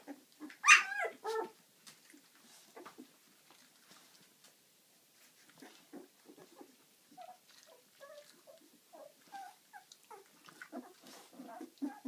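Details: Eleven-day-old pups from Ziva's litter open with a loud high yelp, then fall to scattered soft squeaks and small whines, quiet gaps between the faint calls.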